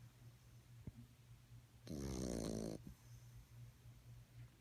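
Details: A sleeping puppy gives one loud, rough, buzzing snore about a second long, surrounded by soft low breathing noise.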